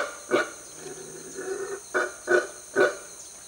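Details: Guatemalan black howler monkey (Alouatta pigra) in the jungle of Mexico gives deafening, harsh, guttural roaring bursts over a steady high insect hum.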